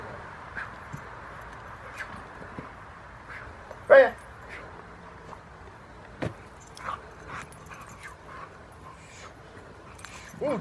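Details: Young female Rottweiler on her second protection training session at a Rottweiler club, giving one sharp, loud harmonic bark near the middle, with a few fainter yips around it, over outdoor background noise and occasional human voices.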